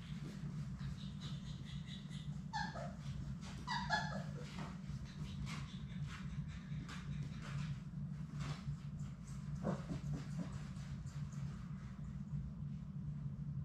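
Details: Sadie's six Labrador Retriever puppies in their indoor play room give a few high, sliding whimpers and yips that drop in pitch. Two short bursts come close together early on, and fainter yelps follow later over a steady low hum and soft scuffling.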